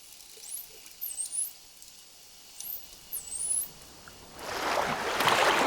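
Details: Mother dolphin calling her calf, opening with her own signature whistle that identifies which dolphin is calling when unseen; several high, rapidly rising whistled sweeps come in quick bursts, followed by a swell of rushing, bubbly water noise.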